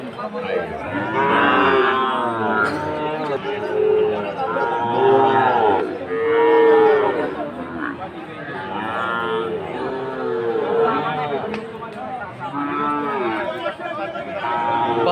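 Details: At Aftabganj market in Dinajpur, Bangladesh, on 4 March 2023, Sahiwal breed bull calves kept for fattening give repeated drawn-out lowing calls, some rising then falling, one after another over a busy background of human chatter.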